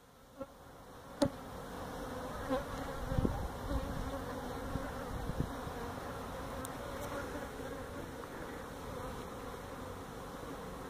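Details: Feral honey bees disturbed during removal of their hive from a tractor tire stacked at a citrus orchard in Mission, Texas. A dense, unbroken swarm buzz fills the scene, with only a few faint taps early on.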